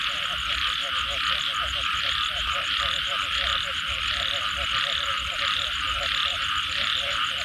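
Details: Chorus of frogs after rainfall, rapid pulsed croaks repeating roughly ninety times a minute, irregular and overlapping, set against a constant shrill hum high above.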